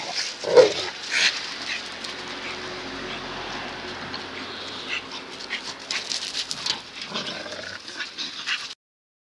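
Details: Two dogs, Zion and Tyson, in their fierce daily fight: a sharp yelp opens, then soft whimpering and scuffling noises, with rustling bursts toward the end.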